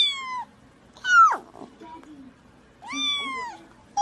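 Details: Pet cat in a compilation of funny cats with babies, giving three drawn-out meows: the first short and falling, the second rising then sharply dropping, the third arched and longer. A low voice murmurs between them.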